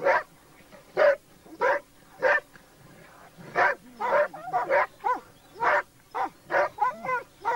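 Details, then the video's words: Laika hunting dogs working with a labrador on a wild boar hunt, barking in short broadband bursts roughly every half second to second, some rising whine-like yelps mixed in toward the end. "Oхота с лайками и лабрадором , на кабана"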